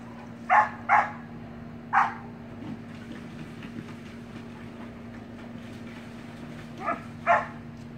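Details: Samoyed puppy and siblings playing in a pool give five short, high yapping barks in uneven groups: two quick ones, a single, then a later pair, over a steady low hum and faint splashy background noise.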